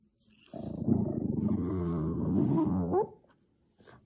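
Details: Boston Terrier, tired and angry at noisy neighbours, gives one sustained low growl of about two and a half seconds that rises in pitch at the end before fading.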